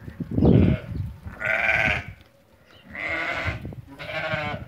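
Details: Three quavering bleats from lambed ewes among 80 being sold, each under a second long with short pauses between. A dull thump opens the sequence and low background clatter runs throughout.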